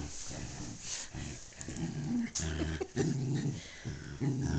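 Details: Two dogs, Darla and her buddy Jazzy, playing tug of war with Darla's favorite tug toy during a sleepover. A low, rumbling growl runs almost continuously in a deep harmonic band, rising and falling in pressure with brief breaks between pulls.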